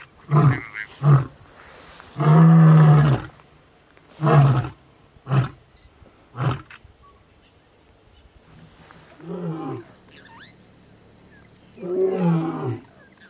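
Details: Lion. Deep, powerful roaring from a male lion opens with short grunts, swells into a long resonant roar, then trails off in a series of briefer grunting calls. A few low moaning grunts close the sequence.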